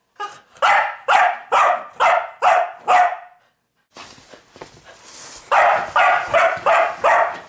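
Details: Pet dog barking at a pig, which it has kept up for over an hour: two bursts of loud, sharp barks about half a second apart, roughly six in each, separated by a short quiet gap with faint rustling.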